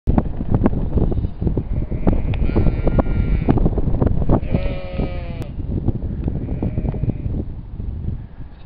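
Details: Sheep bleating, several drawn-out quavering bleats with rich harmonics rising above a constant loud low rumble of wind or handling noise.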